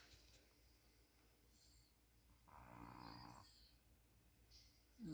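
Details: Puppy snoring: one soft, breathy snore lasting about a second, a noisy band with low buzzing layers beneath, then quiet room hiss before a faint rustle at the end.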